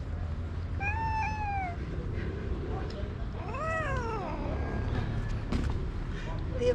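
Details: Upset black stray tomcat confronting a rival cat near a tree: two drawn-out, arching meows over steady low background noise, with faint human voice nearby.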